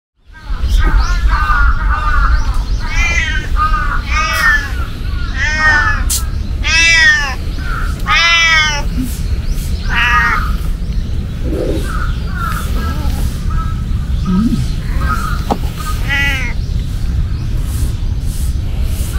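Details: Cat at a shrine giving a run of drawn-out, arching meows in quick succession, several overlapping in the first half. Other birds call briefly throughout, over a steady low rumble.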